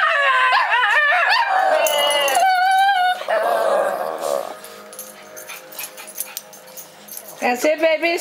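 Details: Pet Shih Tzu dogs singing together: a few seconds of wavering, overlapping howls and yips, then quieter stretches with soft whimpers and a person talking, before a brief final burst of howling.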